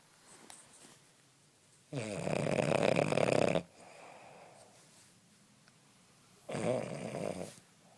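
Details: A male French Bulldog snores in loud, rasping bursts separated by quieter breathing while sleeping and cuddling in the morning, his usual sleeping noise.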